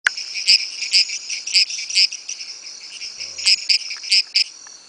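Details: Small-headed treefrog advertisement calls: sharp, high creaking notes at uneven intervals, some doubled, over a steady high insect-like hum in the background.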